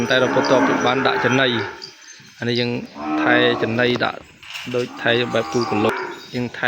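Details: Separated from its mother and kept away from her side, a calf cries loudly through the pen. Rough, strained moos repeat in bursts with short silent breaks.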